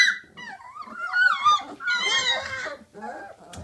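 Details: Three-week-old Alaskan Malamute puppies whine and yelp noisily in high, wavering tones that rise and fall.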